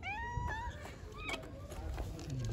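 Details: Kittens playing and being given food, giving a short burst of high, rising meows in the first second, then quieter mews under a man speaking Turkish to them, with low handling noise throughout.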